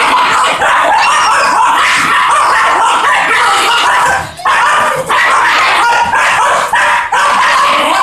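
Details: Fox terrier dogs keep up strained, continuous yelping whines, near-unbroken for about four seconds, then in shorter bursts separated by sharp breaks.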